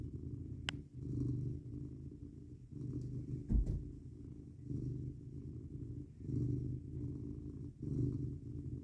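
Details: Domestic cat purring while cuddling up against a person in bed on a cold night of 19 degrees F; low, steady rumbling purr in long breath cycles, with a brief soft thump near the middle.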